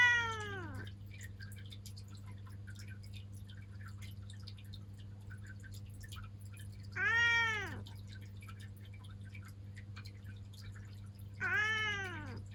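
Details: Pet black cat Ciel, female and seven years old, indoors in Japan, utters three brief arched meows separated by long pauses of about four to seven seconds, over a constant low electrical hum.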